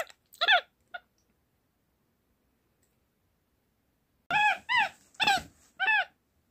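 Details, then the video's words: Small pet capuchin monkey communicating at home in a room: a few brief squeaky chirps, a pause, then a run of five clear wavering, arched squeals in quick succession. ""Разговор" домашнего капуцина"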